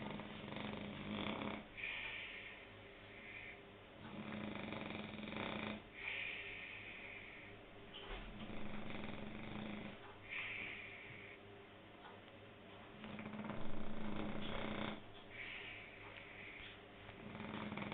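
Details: Snoring French Bulldog, breathing in a slow cycle of raspy, rumbling inhales and hissing exhales roughly every four to five seconds, with brief snorty bursts between some breaths.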